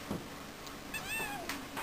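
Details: Pet cat talking to its owner indoors: a faint, short meow with a slightly falling tone in a quiet room, and a person's voice briefly nearby.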